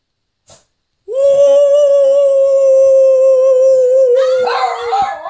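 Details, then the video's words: A pet Shih Tzu, one of the owner's dogs that started howling spontaneously indoors, gives one long, steady, mid-pitched howl that breaks into a rougher, noisier note at the end; recorded on a phone. "My shih tzu's Howl"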